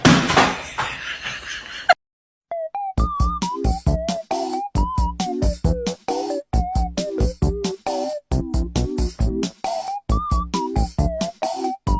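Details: A burst of noise gives way to bouncy electronic music with a drum machine and a synth melody in short, evenly repeated hits; no animals are heard.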